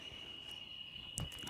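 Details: Cicadas singing in trees in Sonora hold a steady, high, ringing drone without a break, heard as rain is forecast to come soon.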